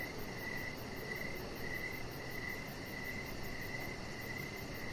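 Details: Outdoor evening chorus of crickets by a deck, regular bright chirps recurring about every half second, backed by faint high-pitched rapid ticking and a low steady hum.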